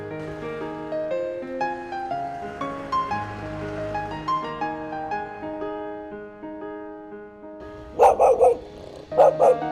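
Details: A pregnant, limping dog whose mate has been missing for over two weeks suddenly gives a few sharp, loud barks in quick bursts, as if calling someone, after gentle background music.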